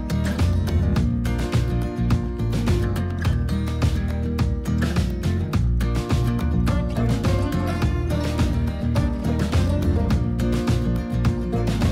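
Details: Upbeat country music with strummed guitar and drums fills the whole stretch, and no animal is heard.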